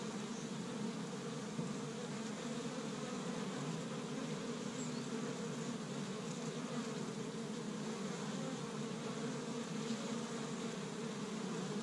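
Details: Busy honey bees at an established Michigan hive in spring, first warm day, foraging on tree buds for pollen; many insects produce an unbroken low buzzing drone, even in loudness, layered hum without other clear sounds.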